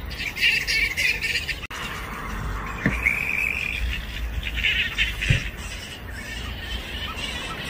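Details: Grey-headed flying foxes at a daytime roost of over 5000 animals in Balgowlah, a suburb of Sydney, Australia, around 1 PM: harsh, overlapping squawks and screechy chatter in uneven bursts, over a steady low rumble of wind or distant traffic.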